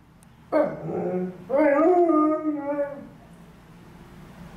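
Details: Alaskan Malamute Liza, lying on stairs one gloomy afternoon, responds to a passing ambulance with a short yelping onset followed by a wavering, quavering howl that fades after about two seconds over low background hum.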